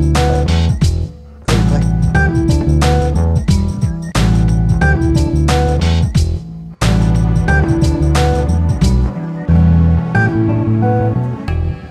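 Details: Loud guitar-led music with strummed chords and bass fills the whole stretch; no howling or other animal sound.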